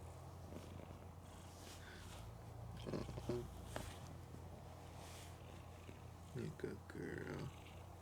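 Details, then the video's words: Mookie, a female pet cat, snores loudly while sleeping with her eyes open; a low, steady rumbling drone fills the recording, with a few brief louder bursts of household noise partway through. "Cat Snoring Loud & Sleeping With Eyes Open"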